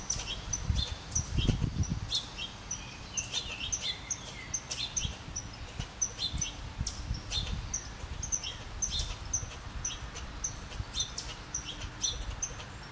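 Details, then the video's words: Red squirrel agitated by a second squirrel nearby, uttering a long series of quick dry clicking chucks, several per second, mixed with thin high squeaky notes; a low thud early on and steady outdoor noise behind. "Agitated red squirrel"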